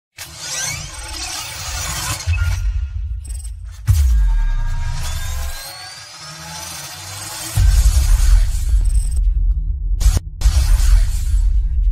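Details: Electronic music with heavy bass thumps, whooshing sweeps and abrupt cuts, and no animal sound.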